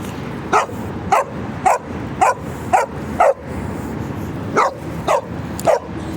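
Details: Dogo Argentino barking on an evening walk while playing with a street dog: about ten sharp barks in irregular bursts, roughly two per second, with steady background hum.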